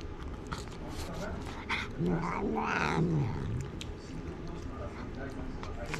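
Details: Stray cats in a park in Japan, the ferocious Karin facing off against Jiro in a tense standoff: low drawn-out growling and rising yowls with harmonic bands, overlapped by a man talking and calling Karin's name, with outdoor background noise.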